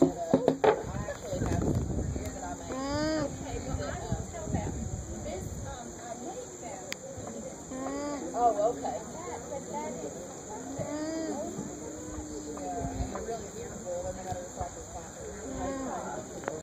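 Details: Lone alpaca at a farmer's market humming to another alpaca in a nearby pen, phone recording; several low, drawn-out nasal hums, some bending slightly in pitch, amid market voices and background bustle.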